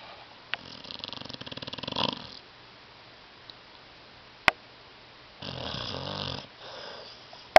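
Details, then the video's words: Sleeping on a love seat, Tyson the dog snores louder than any human: a rattling, rapidly pulsed inhale that swells over about two seconds, silence, then a deep throaty snort with a strong tone, punctuated by sharp clicks. "DOG SNORING"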